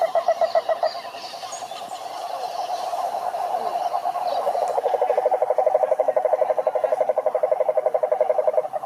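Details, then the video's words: Several frogs calling together in a pond, a dense chorus of rapid, pulsed croaks around mid pitch, rising in strength toward the end, repeating about four times a second. "Sapos Cantando na Lagoa - impressionante"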